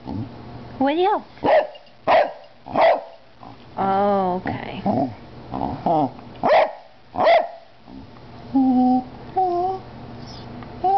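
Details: An 11-year-old female Cardigan Welsh Corgi gives sharp, ringing barks, several in a row, with a person talking between them.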